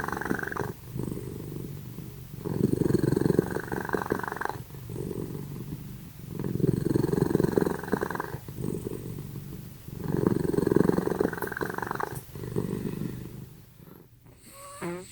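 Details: Pet cats Simba and Prissy asleep and snoring very loudly: broad, rumbling breath bursts about two seconds long, separated by short quieter gaps, with a steady, purr-like texture throughout.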